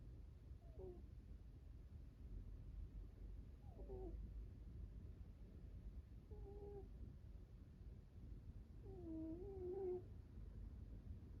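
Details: An American Shorthair cat snoring while asleep: faint, short whistled nasal tones with a slight downward bend, one with each breath about every three seconds, over a steady low hum.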